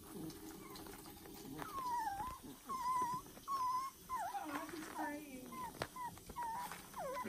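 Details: Puppies in a fresh foster litter whimper repeatedly, short level or slightly bending cries coming about once a second, several voices mixing, with light rustling underneath.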